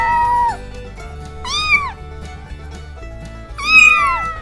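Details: A cat gives three meows, a flat drawn-out one followed by two arched, falling mews, while music with a low pulsing beat plays underneath.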